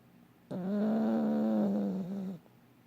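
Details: A dog snoring while asleep and dreaming: one drawn-out, droning snore with a buzzy, layered tone, lasting about two seconds, steady and then dipping slightly at the end, over a quiet room.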